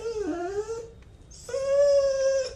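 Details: Two drawn-out whines from a Siberian Husky being scolded for eating chocolate: the first dips then rises, the second is level and sustained, with a short pause between them.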